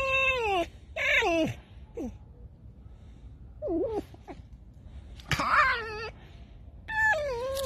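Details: Tame fox Alice, said to have just taken three chickens and buried them, lets out creaky, descending whines in spaced bursts, some harsher and more rasping, with quieter gaps between.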